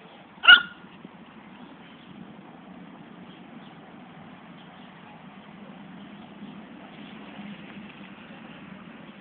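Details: Fani, a female poodle, chasing after a ball: a single sharp, loud bark near the start, then quiet low background rumble for the rest of the recording.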